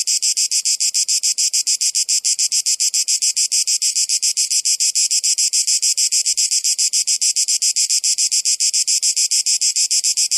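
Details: Cicadas calling in a steady chorus of harsh, high, buzzy pulses, about three to four pulses per second, evenly spaced and unbroken for the whole stretch, with no other sounds.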